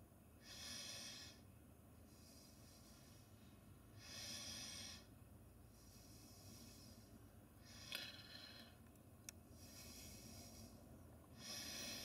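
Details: Female Amur tiger resting relaxed in the centre of her enclosure, giving breathy, hissing snorts and exhalations, each lasting about a second and repeated roughly every three to four seconds, with a couple of sharp clicks between them.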